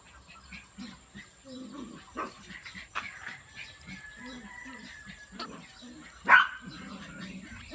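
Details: Miniature Pinscher puppies being dewormed: soft thin whines drift through quiet handling noises, then one sharp, loud yelp breaks out near the end before fading back to low murmurs and a steady high hiss.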